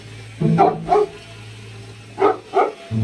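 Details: Rome, a Cane Corso (Italian Mastiff), reacting to a vacuum cleaner he is scared of on their first encounter: two pairs of short, deep woofs about 1.5 seconds apart over a steady low hum, with a man talking and music nearby.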